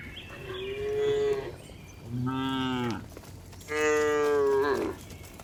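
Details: Afternoon herding of tame cows heading back to their barn in a village; three full moos about a second each, one deep and throaty, the others higher and richly harmonic, separated by short quiet gaps.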